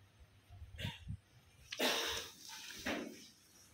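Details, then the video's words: Kittens at day 29 fighting, giving short harsh squeaky bursts near the start, then a longer hissing, breathy squeal and a final brief cry, with soft thumps and quiet indoor background. "Video of kittens fighting"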